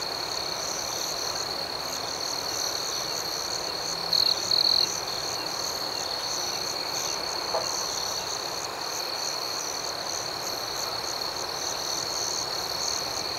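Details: Crickets at night forming a constant high, ringing drone with soft rapid pulses, broken by two short louder chirps around four seconds, with no other sounds standing out.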